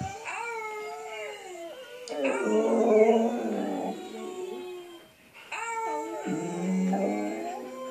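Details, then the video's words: Pet dog howling in two long phrases separated by a brief pause, each starting high and sliding down, swelling into loud wavering yowls with whimpering breaks. "Mouse Wang howling"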